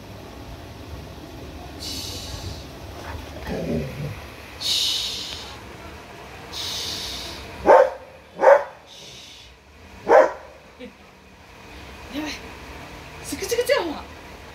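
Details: Trained Labrador Retriever running to a gate, giving a few short, sharp barks clustered in the middle of the recording, two close together then a third a moment later, over steady background noise with fainter rustles and brief sounds around them.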